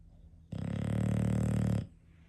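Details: English Bulldog snoring indoors, from a household with five bulldogs: one loud, rasping, low-pitched snore lasting just over a second, rough and buzzy throughout, with quiet room hush before and after.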